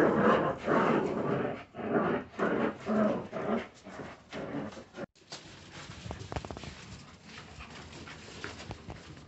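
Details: Jagdterrier puppies growl in loud, rhythmic bursts for about five seconds, then after a sudden break only faint scuffling and soft whimpers remain.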